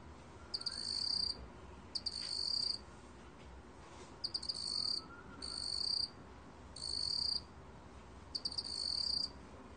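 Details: High, steady trilling of a cricket (먹귀뚜라미), recorded 2020: six buzzy bursts, several starting with staccato chirps, repeating about every one and a half seconds against low, quiet background noise.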